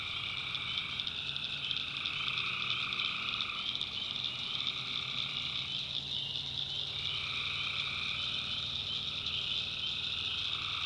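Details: Tree frogs calling at night in the North Carolina backwoods swamp: a dense, steady, high-pitched trilling chorus with layered bands that shift and break around the middle, plus a faint low hum beneath.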